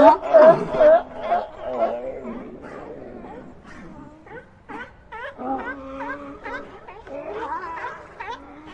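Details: Several sea lions vocalizing over one another: loud gargling bleats at first, then a busy chorus of shorter, nasal barks and wavering moans from many animals.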